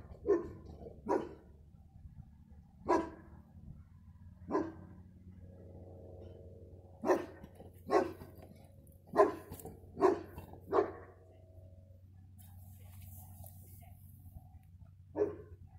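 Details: Dog barking on 15 February 2020: short, sharp barks in irregular bursts, single ones early on, then a quick run of five close together, with a last bark after a pause, over a low steady hum.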